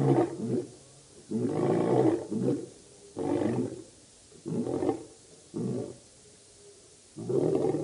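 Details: Lions of the Birmingham Boys coalition calling at the dam, Djuma Game Reserve, Kruger Park, South Africa, August 2016; a quieter sequence of short, rough grunting roars in irregular bursts, with a low steady hum beneath.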